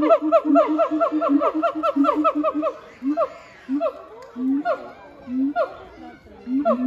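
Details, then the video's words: At Chiba Zoological Park on 12 November 2022, the siamang pair Heart and Brave end a duet with a fast chain of booming, swooping notes, then drop to single rising hoots spaced about a second apart. "ハートさんとブレイブくんのミュージカル！ フクロテナガザル"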